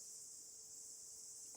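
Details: Cicadas, newly emerged from underground to mate and die within about a week, sing out loud with a steady, high-pitched electric buzz that carries on without a break.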